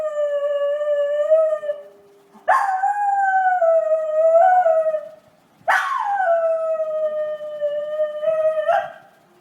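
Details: Miniature Schnauzer named Money howling continuously, with three long drawn-out howls that begin abruptly, waver slightly, and sag in pitch toward their ends, separated by brief breaths.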